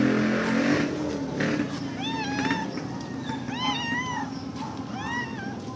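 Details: Black street cat outdoors meowing noisily: a run of short, arched, rising-then-falling meows repeated every half second or so, over continuous traffic rumble and passing vehicle noise.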